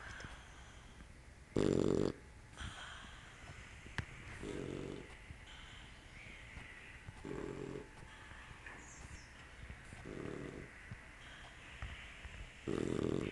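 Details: Puppy snoring: five coarse, low rasping snores come at a fairly steady pace of about one every two to three seconds, with soft room noise in between.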